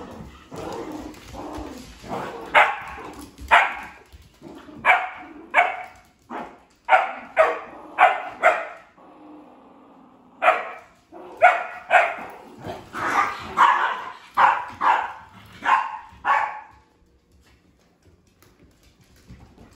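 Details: Female Sheprador playing with two other household dogs, barking in uneven bursts of sharp, mid-pitched barks, around twenty over seventeen seconds, with a short lull midway and quiet at the end.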